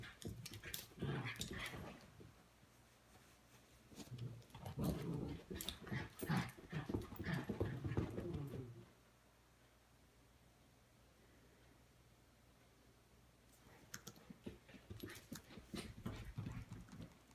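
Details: Indoors, a miniature schnauzer wrestles a stuffed schnauzer Webkinz toy, giving a run of low, gritty growls and huffing bursts for nearly nine seconds, then a quiet gap before a few more scrappy sounds near the end.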